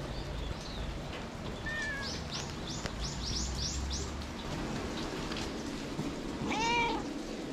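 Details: Stray white cat at a shrine on a rainy day, giving a short meow and then a longer, clearer meow near the end, both with stacked harmonics; a run of quick high chirps from other creatures between them over steady rain-like background noise.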